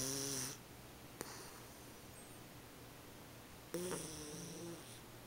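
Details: Puppy named Tank napping loudly, two harmonic snoring breaths about three seconds apart, each with a steady buzzy tone and faint high overtones, quiet breathing between.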